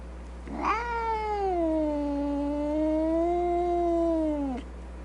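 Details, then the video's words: Single sustained meow from a loud cat or kitten, opening with a sharp rise, holding a level tone with a gentle swell for about four seconds, then sliding down at the end. "Sounds of Cat Meowing and Kitten Meowing |Baby Cats Meowing |Cats Meowing Loudly"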